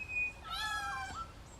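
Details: A koala gives a high, harmonic wail that rises then falls. It is a high-pitched scream given when held or when another approaches its tree, sounding like a child, meant to disarm and provide diversion.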